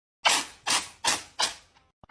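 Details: Cat sneezing in a rapid burst: four sharp, hissing sneezes about every 0.4 seconds, each fading quickly, followed by a faint click.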